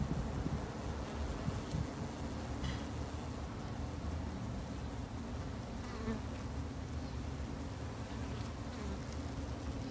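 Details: Backyard colony of Japanese honey bees kept to help protect them in Japan; continuous low, layered buzzing of many wings, steady and unbroken, with a few faint short clicks.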